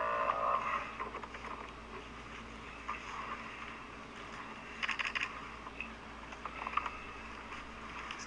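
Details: Clicking, tapping and mechanical rattling with a steady low hum, and no animal voice.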